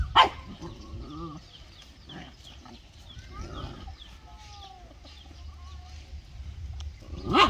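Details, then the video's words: Pet dogs at home: one loud bark opens and another closes the stretch, with softer whines, scrapes and faint voices in the quieter middle. "My Dogs Barking || Dog Sound"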